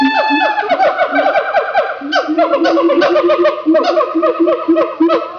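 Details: Several siamangs calling loudly in Opole Zoo, Poland, with no particular cause, just chatting among themselves. Dense overlapping series of quick, harmonically rich hooting barks run together, rising and falling in a continuous chorus.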